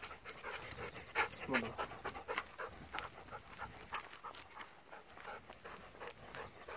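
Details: Golden Retriever on an evening walk, begging for persimmons not yet ripe; rapid breathy panting, roughly three breaths a second, with a brief voice-like sound near the start and light outdoor background.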